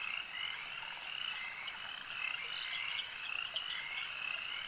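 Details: A lake's frog chorus, high and continuous, with layered trilling croaks of slightly different pitches running together and occasional brief louder notes.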